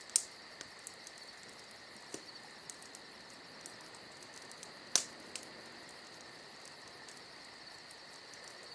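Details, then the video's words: Crickets trill steadily and shrilly on a summer night, a seamless high drone, broken by scattered ticks and two loud snaps from a crackling campfire. "Summer Night Crickets & Crackling Fire"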